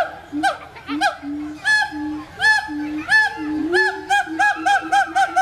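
A siamang gives loud, honking, harmonic whoops that repeat faster and faster toward the end.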